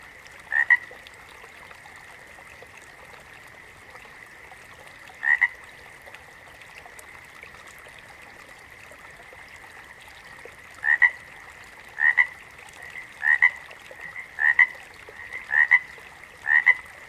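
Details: Frog croaks come singly at first and then speed up to about one a second near the end. Each is a short paired call over an unbroken background drone of a distant frog chorus.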